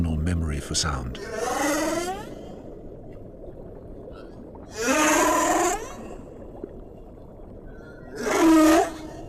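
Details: Three long, tonal humpback whale cries rich in overtones, each wavering and gliding in pitch, spaced about three seconds apart. A constant low underwater rumble runs beneath, and a brief rough burst opens the recording.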